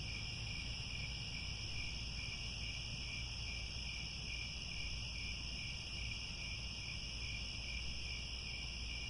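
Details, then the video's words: Sunset cricket chorus from the grasslands of Angkor Wat in Cambodia, unbroken high-pitched ringing in stacked bands with rapid pulsing, continuous throughout, backed by a low steady background rumble. "The Sound of Crickets at Sunset"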